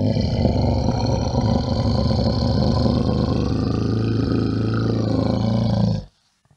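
A bear gives a deep, rough, rumbling roar that holds steady for about six seconds, then stops.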